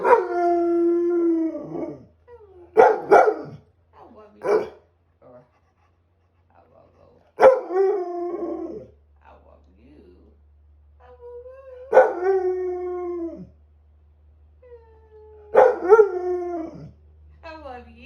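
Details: English Springer Spaniel howling indoors during Tropical Storm Debby, with a woman howling along: drawn-out wavering howls, often ending in falling yips, in bursts every few seconds, with quiet gaps and low background hum.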